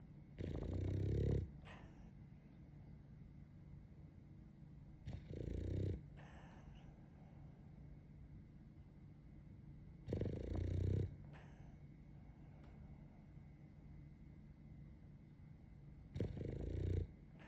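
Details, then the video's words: French Bulldog in deep sleep with eyes half open, snoring: deep, rasping snores about every five seconds, each lasting roughly a second with a low rattling rumble, quiet breathing between. "YAMATO 爆睡中 半目で寝てます。この寝息と この半目を見つめると あなたも眠くなりますよwww"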